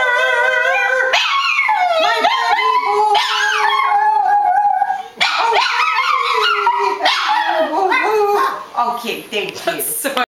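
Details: Boston Terrier named Buddy singing for his owners indoors, long wavering howls with sliding pitch and yodel-like breaks, phrases restarting every few seconds, a person's voice faintly mixed in, trailing into softer whines at the end.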